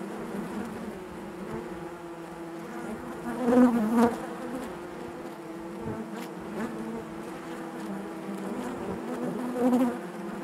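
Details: Steady natural hum of bees in their hive, a low, even buzz with overtones and two brief swells where nearby bees grow louder.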